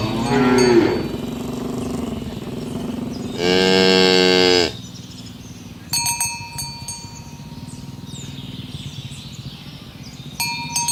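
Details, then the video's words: Cows herded in the morning toward the pen on village roads; a loud moo opens, then a long, bright, sustained moo around the middle, followed by ringing cowbell chimes and quieter chirping birds. "the sound of cows mooing"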